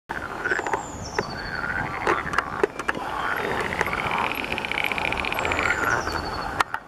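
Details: Water frogs in mating season calling as a dense chorus of rapid pulsed rattling croaks that swell and fade, with faint thin bird whistles above and scattered sharp clicks.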